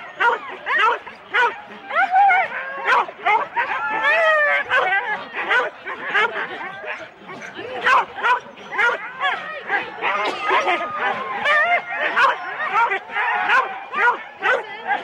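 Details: Sled start with four-dog Husky teams at Rendlesham in January 2016, analogue cassette recording: a steady wall of barks and yips from many dogs, with rising whines and human speech in the background.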